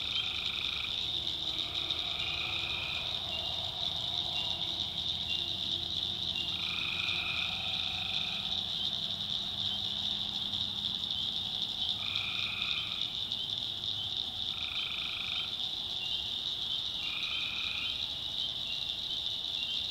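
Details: Tree frogs calling at night in a swamp in the backwoods of North Carolina: separate trills, each lasting about a second, come every few seconds. A steady high shrill chorus hums beneath them throughout.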